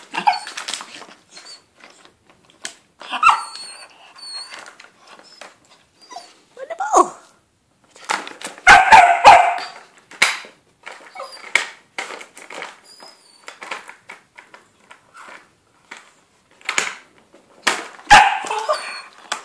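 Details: Frantic pet whippet trying to win a ball from the cat indoors: short sharp yips and barks come in irregular bursts, with scrabbling and clattering, an upbeat voice urging it on to get it.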